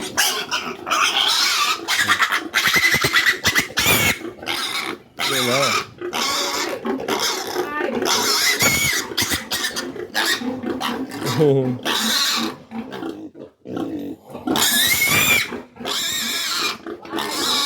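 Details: Domestic pig in a farrowing setting, a sow shortly after giving birth, heard amid loud, harsh, broadband squeals in repeated bursts, some with wavering pitch, broken by short quiet gaps; human speech and background music are also audible.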